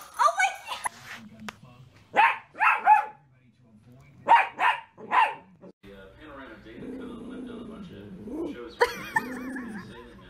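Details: Dachshund, a wiener dog: short, sharp barks come in two quick bursts of three, then a person talks over a low hum.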